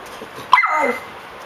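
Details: A puppy reacts after finding a cockroach, giving a single high, whining yip that starts sharply and slides downward over about half a second. A constant hiss runs underneath.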